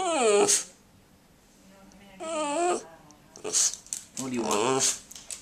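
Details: An indoor Boston Terrier that does not bark makes odd attention-seeking noises: drawn-out, wavering whines and groans in a few bursts, mixed with a woman's voice speaking to the dog in a small room.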